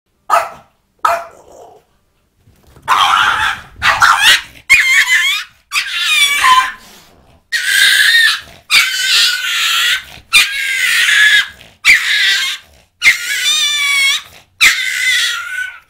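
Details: French bulldog confronting a cat, giving about a dozen loud, harsh barks and whiny yelping calls in quick bursts, several with rising then falling wavering tones, separated by short silent gaps.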